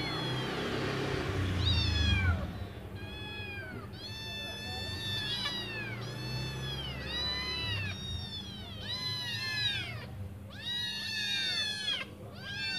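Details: Waiting for their mother to return with food, five hungry kittens cry in overlapping bursts of high, down-curving meows, growing denser and louder after the first few seconds, with a low murmur underneath.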